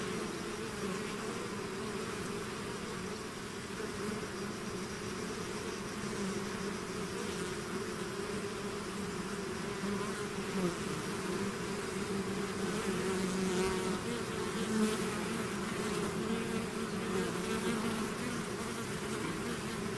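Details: A bee swarm out of its hive hums steadily for twenty seconds, the dense low drone swelling slightly louder midway, with frequent brief fly-by buzzes from individual bees over the mass.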